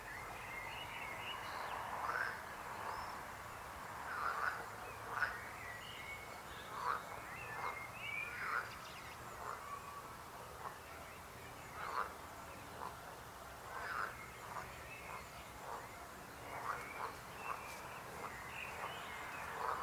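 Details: Dense frog chorus with many overlapping croaks, short rough pulses repeating several times a second and rising and falling in loudness throughout.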